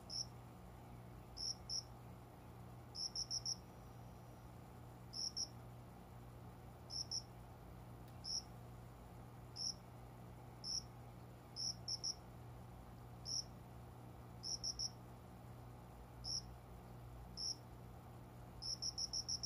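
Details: Cricket singing around five in the morning among small plants by a closed window in summer. High, clear chirps come singly or in quick bursts of two to four at irregular intervals, over a steady low indoor hum.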